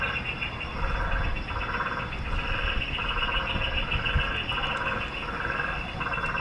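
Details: Meerkat sentry on lookout for bird predators at a safari park in the West Midlands, England; short raspy bursts repeat steadily about once a second over a constant high hum and low background rumble.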